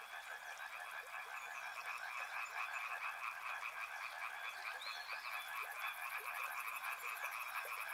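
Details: Frogs call in a thick overlapping chorus beside a river, rhythmic croaks blending into a steady trill, with a few short rising whistles midway and a quick high pulsing buzz entering near the end.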